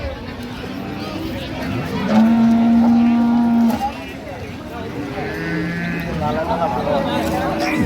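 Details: Improved-breed dairy cattle at Ambari cattle market (haat) in Dinajpur, recorded 28/9/25: one low, steady, drawn-out moo lasting under two seconds, surrounded by men's bargaining chatter and general market bustle.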